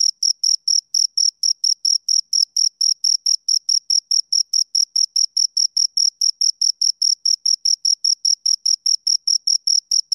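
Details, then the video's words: Two crickets chirping, a high, clean, evenly paced run of short shrill pulses, roughly four to five per second, with a fainter higher overtone above each pulse and no other sounds behind them. "Two Crickets Chirp Sounds"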